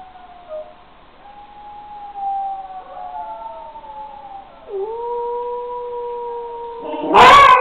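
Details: Long, thin howl from a six-week-old wolfdog pup, held steady and gently wavering for several seconds with a step up in pitch midway, ending in a sudden loud, harsh burst.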